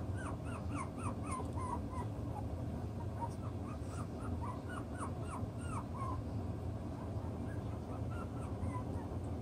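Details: Chocolate brown Toy Poodle puppies, six weeks old, playing with their toys and working out the pecking order; a quick run of high whimpering yips, each a short arching squeal, continues through most of the clip over a steady low hum.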